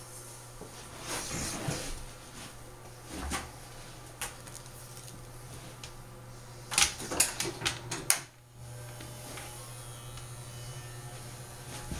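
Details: A quiet indoor room with a low steady hum, scattered clicks and a brief burst of rattling handling noises, and no animal calls.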